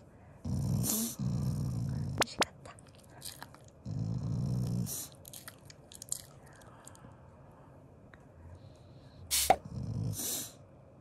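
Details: Shiba Inu, a loving family dog, growling as a show of affection rather than anger while eating: three low, rumbling bursts about a second long, spaced several seconds apart, with soft clicks and a sharp tap between them.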